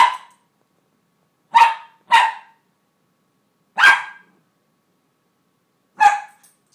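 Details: Ellie, a pet Cairn Terrier, barks while trying to reach a single kibble of her food stuck under her crate: five sharp, bright barks, spaced irregularly, two in quick succession, with silence between.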